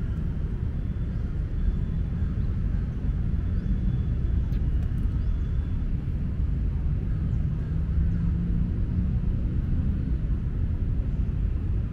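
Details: Steady low rumble of a passing vehicle or aircraft fills the whole stretch, with no animal voice heard.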